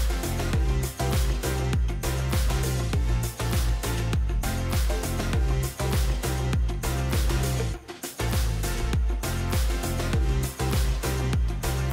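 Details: Loud electronic music with a strong steady beat fills the whole stretch, and no animal voice is heard.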